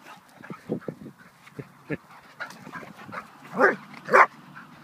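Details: Hungarian Vizsla named Zack, four years old, letting off steam: scattered soft woofs and snuffles, then two sharp, loud barks near the end, with a person talking softly underneath.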